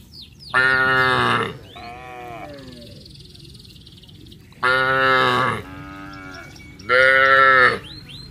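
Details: Cattle calling to friends as the herd goes down to the rice fields in a village: three loud, harmonic moos about one second long, spaced several seconds apart, with softer falling calls in between.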